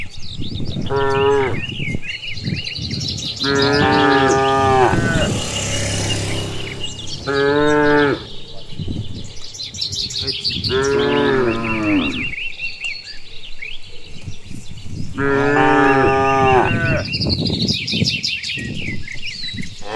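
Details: Herd of cows being led home along a rural village path after grazing on green grass, mooing repeatedly: five long harmonic moos spread through the stretch, with chirping birds in the background and footsteps or hoof sounds between calls.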